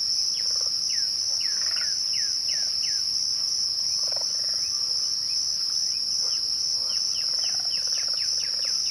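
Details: A continuous piercing trill from crickets at twilight fills the background. Scattered descending bird whistles and faint softer buzzy notes come and go over it.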